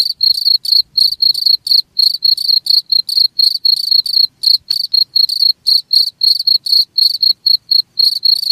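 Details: Shrill cricket chirps repeat quickly and evenly, about four bursts each second, bright and slightly buzzy, with one brief tick midway and a quiet background otherwise.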